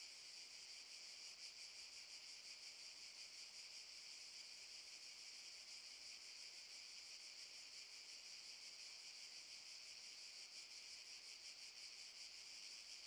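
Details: August 2014 in Park Šuma Musapstan, Zadar: many cicadas keep up an unbroken, piercing, buzzy chorus that pulses quickly and stays level in loudness from start to finish.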